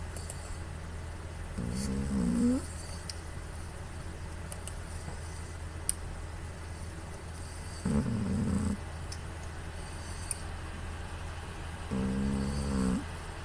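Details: Puu, a female cat, sleeps and snores heavily into a smartphone microphone, a snore likened to an old man's. Three rasping, rattly low snores, each under a second long, come about every five seconds with quiet breathing between them.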